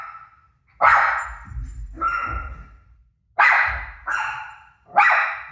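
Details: Pet dog barking back at the sound of its own barking playing on a television; loud, sharp barks come in bursts of one or two, five in all, with short pauses between.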